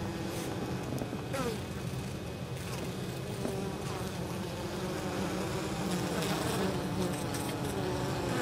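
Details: Honey bees bringing pollen and nectar into the hive on 23 October during exceptionally warm autumn weather at an apiary near fields; a quieter, even hum of many wingbeats with faint gliding tones above.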